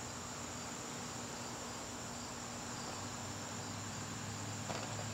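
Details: Crickets calling in a garden on a September evening, a steady high-pitched continuous trill running unbroken through the whole stretch over a soft background hiss.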